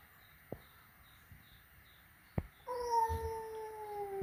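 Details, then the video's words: Flat-nosed cat meeting a peak-nosed cat at home, after soft taps and a sharp knock comes a sustained, steady moaning meow, slowly falling in pitch and still continuing at the end. "Reaksi pertama kali kucing flatnose bertemu dengan kucing peaknose"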